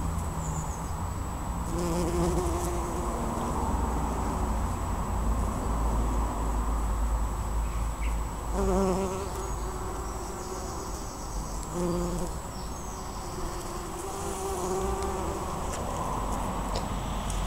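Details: Bumblebees working a white-flowered bush at Pulford in June 2015; several separate low droning buzzes pass close, each lasting about a second, over a steady low rumble of background noise.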